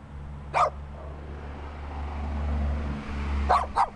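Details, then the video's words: Small dirty dog in need of a bath gives one sharp bark, then after a three-second pause a quick double bark, over a steady low hum like a passing car. "Little Dirty Barking Dog"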